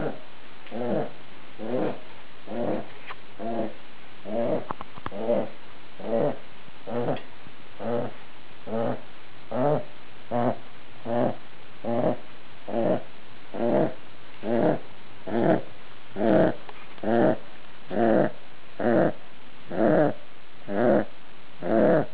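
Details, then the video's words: Snoring from a dog asleep, raspy rhythmic breaths a little faster than one per second, quiet at first and growing steadily louder and more regular. "dog snoring"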